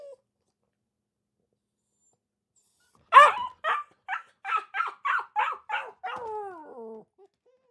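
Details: Akita puppy, after three seconds of quiet, lets out a loud bark followed by seven evenly spaced high yips, then a drawn-out descending whine.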